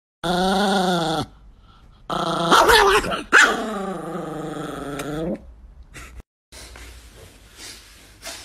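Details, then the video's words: Angry Chihuahua giving long, wavering, harmonic growling snarls of about a second each, separated by short pauses, while a person keeps telling it to stop and hushing it. "The most Angry Chihuahua in the world"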